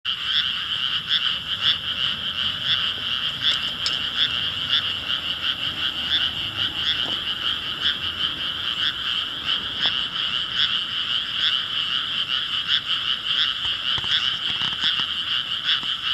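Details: Dense frog chorus: many overlapping croaks merge into a steady buzzing band, pulsing roughly two to three times per second without a fixed beat, with no other clear sounds.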